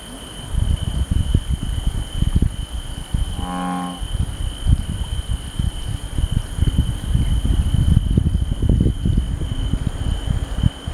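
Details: One deep, resonant bullfrog note, a low humming drone of about half a second, set amid constant low rumbling noise with a thin steady high-pitched tone throughout.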